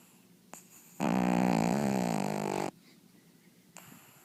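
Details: Sleeping pug Tegan gives one long, loud, vibrating snore lasting nearly two seconds, with short snuffles before and after in a quiet indoor room.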